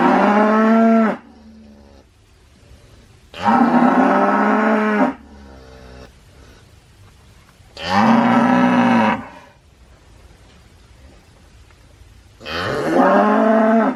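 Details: Four long, loud cow moos, each about one to two seconds, spaced roughly three to four seconds apart. The calls are rich and nasal, with the pitch dipping and swelling, over a faint background.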